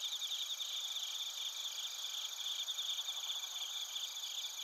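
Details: A dense chorus of bell crickets and other crickets in Narita, Chiba, Japan, picked up with a TASCAM Portacapture X8. Many insects trill at once in a shimmering high-pitched wall with fast, irregular pulses.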